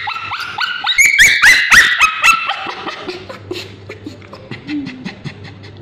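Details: Male Bichon Frise with scabies screaming while ointment is put on his tail: loud, high, shrill yelps in fast runs, some held and wavering, then fading into softer whimpers and a low hum.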